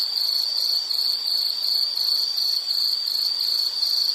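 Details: Shrill, continuous insect chirping, a fast pulsed trill held at one high pitch throughout, quiet background.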